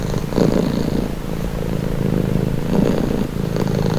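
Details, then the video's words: Soft purring from a domestic cat, a low buzzing rumble that swells twice in four seconds with each breath cycle, quiet background. "1h Purring cat | Calming Relaxing Nature Sound"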